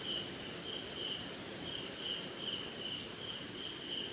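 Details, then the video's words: Crickets calling through a rainy night in India's jungle. A shrill, constant high whine holds steady while lower chirps pulse in short bursts roughly every half second, all set against faint steady hiss. "Cricket & Swamp! Forest Sound"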